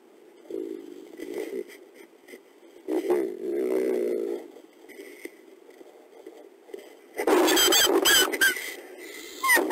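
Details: Critically endangered Mexican gray wolf Belle (F1226) with her daughters born May 2017, a testy moment in the den as she sets rules for the pups: short harmonic whines, then a burst of loud, harsh squealing yelps near the end.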